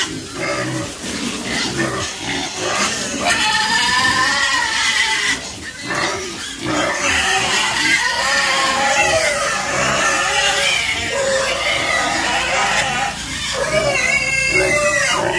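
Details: A crowd of farm pigs squeal almost without pause, with many shrill, wavering cries overlapping into a continuous noisy chorus.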